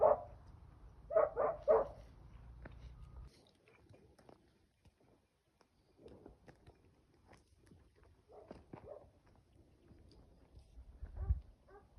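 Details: Home-bred puppy, five months old, barking on the trail of an escaping wild boar during its first hunt in a cornfield; one bark, then a rapid run of three, then faint scattered yelps and rustling.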